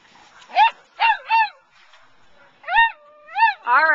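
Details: At the 2009 Wags for Wishes sheep-herding event, a dog gives a run of six quick, arched barks in two bursts, each bending up then down, with a short pause between the groups.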